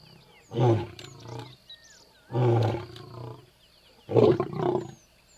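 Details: Angry lion in a forest giving three deep, rough, roaring bursts, each under a second long and spaced about every two seconds. Faint chirping birds and a steady high-pitched whine sound in the background.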